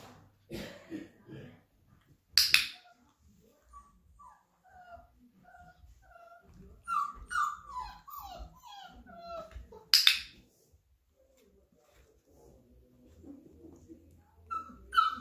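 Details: Flat-Coated Retriever puppies, 34 days old, being introduced to a clicker: thin, high whimpers and squeaky yelps bunched through the middle, punctuated by two sharp clicks, with soft rustling and faint human voices.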